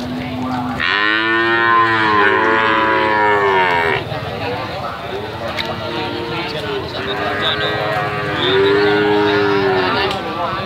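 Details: Young calf giving melodious moos, described as 'hehan' sound: after a brief steady low tone, a long, rich harmonic moo rises and falls, followed by three more arched, drawn-out moos over steady background hum.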